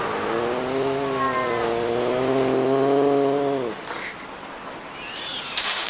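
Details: Manul, the Pallas's cat, producing one long, low, droning meow that holds a steady pitch for over three seconds and then drops away, followed by faint hiss.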